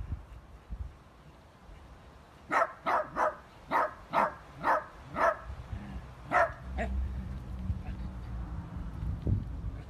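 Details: A playful miniature dachshund barks about eight times in a quick, fairly even run of sharp, mid-pitched yaps over roughly four seconds. One last bark follows after a short pause, then low household noise.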